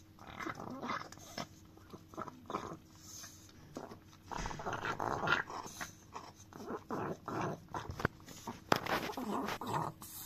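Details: Chihuahua dog working its tongue over a frying pan; uneven runs of moist smacking and lapping noises, some quick clusters and louder clicks, recorded up close in a quiet room.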